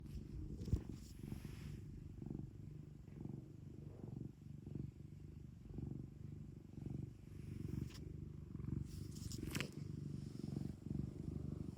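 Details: ['Domestic cat kept at home, purring close up: a low, steady rumbling purr that swells and fades with each breath, with a few brief soft rustles near the end.']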